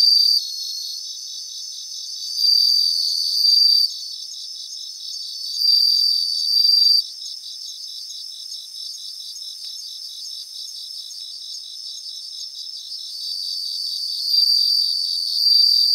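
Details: Bell crickets, several insects singing in a grassland in Japan: a high, bright ringing trill in bursts of about a second, repeated every few seconds over a steady pulsing chorus of other high insect chirps.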